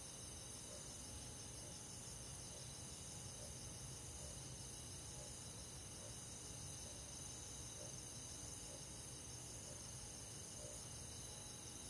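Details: On a midsummer night, crickets join other forest insects in an even, ringing chorus of rapid pulsed trills layered at several high pitches, steady without pause, with a soft low murmur underneath.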